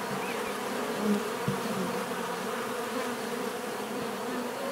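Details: Many bees buzzing in a steady, dense drone, with low hums gliding up and down as individuals pass close, and a few soft knocks near the middle.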